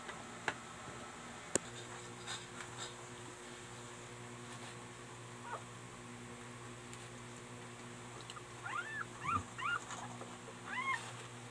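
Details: Newborn Siberian Husky puppies give thin, high whimpers that rise and fall, over a steady electrical hum, around nursing; finding: Siberian Husky.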